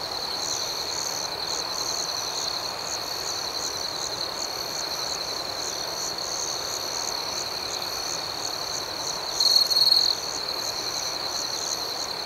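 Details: Steady nocturnal cricket chorus, high and continuous, joined once near the end by a single closer cricket's short, loud pulsing trill.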